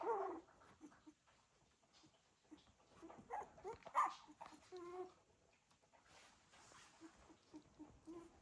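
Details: Litter of Cocker Spaniel puppies shifting around indoors: scattered thin whines and squeaky whimpers, a brief louder cluster mid-way, then quieter squeaks, with rustling movement underneath.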